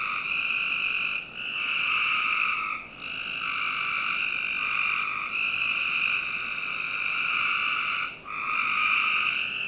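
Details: Frog chorus on a summer night, backyard of a Northern Virginia home: long overlapping buzzy trills run almost without pause, with only two brief dips in the calling.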